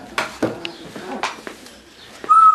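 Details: Two-week-old Labrador Retriever puppies, eyes just starting to open, with their mother Goldie on February 15th. Soft clicks and rustling are followed by a thin, steady, high whine at the end.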